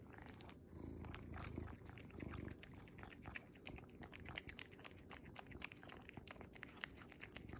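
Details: Tuxedo cat in a Starbucks apron purrs while eating a treat: a low, steady rumbling hum under quick, sharp slurping and chewing clicks, with brief pauses and the eating noises growing busier toward the end.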